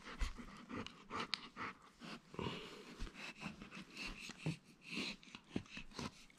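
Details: Boris, an energetic, playful pet wolfdog, heard up close indoors: quick rhythmic panting and breathy snuffles with short bursts of sniffing, no barking or howling.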